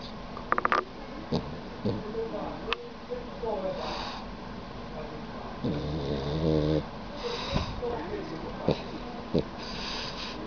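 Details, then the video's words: Sleeping dog lying with its tongue out, snoring: one drawn-out, low, ribbed rumble of about a second near the middle, with fainter breaths and scattered soft clicks and taps around it. "Dog snoring with tongue out 可爱狗狗伸出舌头打呼噜"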